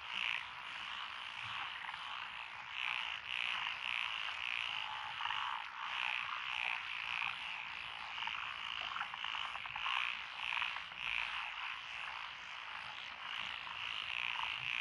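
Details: Frog chorus in lotus rice paddies beside a country road in Echizen, Fukui Prefecture, Japan, recorded 12 June 2021, with Japanese tree frogs, Tokyo daruma pond frogs, wrinkled frogs, Schlegel's green tree frogs and forest green tree frogs: dense overlapping croaking and trilling, many callers at once.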